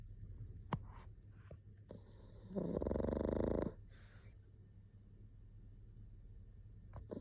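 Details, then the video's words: Single drawn-out, low, raspy snore from a sleeping pug, lasting about a second, surrounded by soft breathing and a few faint clicks. "パグ いびき②"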